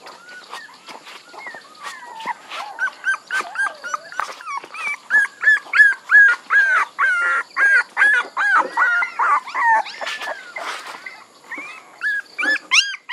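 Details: Several puppies whining almost nonstop, with overlapping arched, tonal squeals repeated in quick succession that fade near the end before a few final rising cries.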